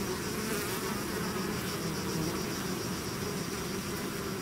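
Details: Bees swarming from the hive produce a steady, dense buzz, low humming with a faint high whine above, continuous and even throughout.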